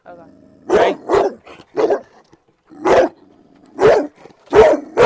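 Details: Protective four-year-old Cane Corso barking and lunging at a trainer, guarding its owners without cause and charging a barrier fence. Six to seven sharp, deep barks sound in irregular succession, with a low human voice murmuring underneath.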